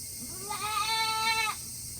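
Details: A goat on a hot August 2021 day at a small farm in Himi, Japan, restless to go back inside its shed. It gives one steady, nasal bleat of about a second, rich in overtones, against a faint background hiss.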